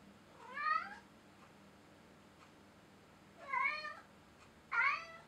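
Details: Loki, a pet Bengal cat, indoors at Christmas near the tree he bats baubles on, gives three clear harmonic meows: a rising-falling one, then after a pause two shorter, sharper ones in quick succession, over a quiet room.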